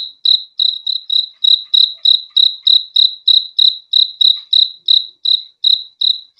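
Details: Rapid, ringing cricket chirps follow one another about three per second, each a short high pulse, clean and uninterrupted, presented as relaxing sleep sound.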